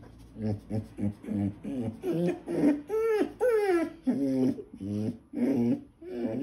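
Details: Eurasier puppy complaining loudly at its food bowl of veal tongue and salmon oil after being told to "leave it". It makes a quick run of short, grumbling, voiced yips, then drawn-out rising and falling whines and more throaty grumbles, indoors.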